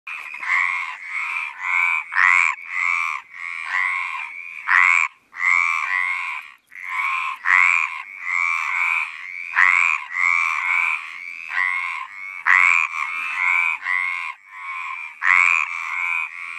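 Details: A chorus of Mediterranean tree frogs (Hyla meridionalis) gives loud, harsh, nasal croaks in quick overlapping bursts, their mating calls to attract females.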